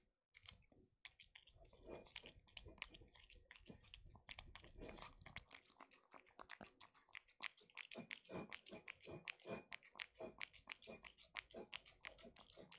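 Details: A pet kitten eating her favourite wet food, recorded up close for ASMR: soft, wet smacking and clicking chews, repeated rapidly and irregularly, growing steadier after a brief quiet start, with no other sounds.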